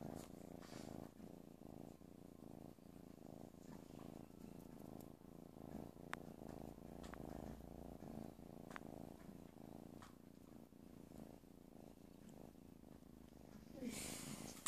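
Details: Playful kitten producing a continuous low, pulsing purr for about fourteen seconds, even and rhythmic, ending with a short burst of brighter rustling noise.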